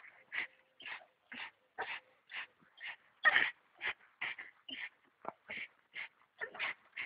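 A Staffordshire bull terrier gives rapid, repeated high whimpering yips, about two every second.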